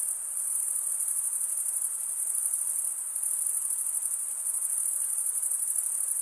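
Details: Crickets chirping: male crickets stridulating by rubbing one wing across the toothed vein of the other. The sound is a steady, very high-pitched shimmering trill that never pauses and holds an even loudness, with no other sounds.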